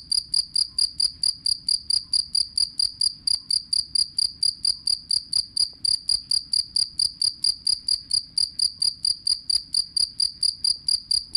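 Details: A jangkrik kalung cricket gives a long, even run of bright, high, pure ringing chirps, about four per second, against a quiet background.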